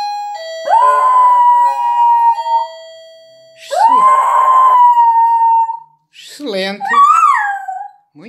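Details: Pet dog being taught to howl on command, with Portuguese praise around it; three sustained howls, the first two long and steady, the third wavering and broken, separated by short pauses.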